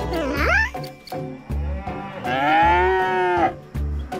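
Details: Cow mooing, a sound cows use to talk to each other; two long, drawn-out moos, the second swelling and holding steady for about a second, over cheerful children's music with rhythmic beats.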